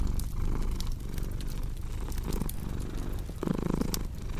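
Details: Purring house cat, low rhythmic rumble swelling and easing with its breathing, overlaid by louder crunching, crackling fire sounds from a fireplace.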